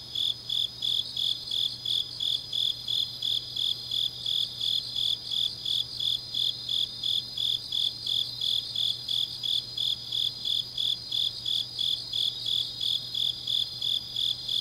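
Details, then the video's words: Night-time autumn song of grass insects in Changnyeong, Gyeongnam: crisp high chirps pulsing nearly three times a second in a very even rhythm, with a faint overlying buzz and a steady low hum in the background. "깊은밤 가을 풀벌레 소리"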